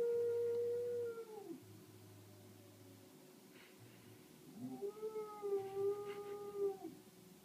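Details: Samoyed Astrid answering a fire alarm. A sustained note bends downward, then after a quiet gap a second long howl swoops up and holds, wavering, with clear overtones.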